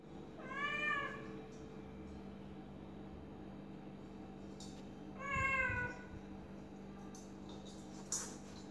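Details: Playing cat giving two clear meows, each about half a second long with a rising then falling tone, spaced roughly four and a half seconds apart, followed by a short click in a quiet indoor setting with a steady low hum.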